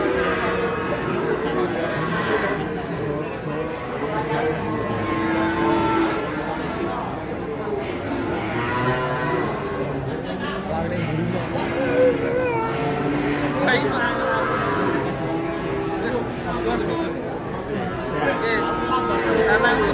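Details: A long stretch of restless cattle coming off a truck: repeated, overlapping moos of varying pitch sound from several animals amid shouting handlers, crowd chatter and background music.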